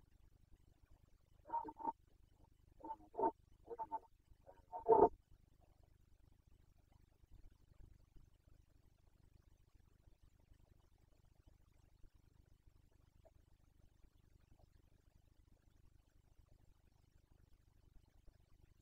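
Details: Carpathian red deer stag roaring during the 2021 breeding season in Bucovina, Romania: a run of short, harsh, grunting bursts over about four seconds, the last one loudest, followed by a quiet stretch with a low background hum.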